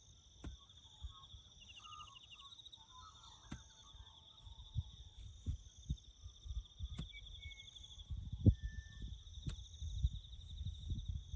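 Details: Crickets chirping in the bush during farm work: a steady, high, pulsing trill runs throughout, with a few short bird notes and dull low thumps and rumbles from nearby work.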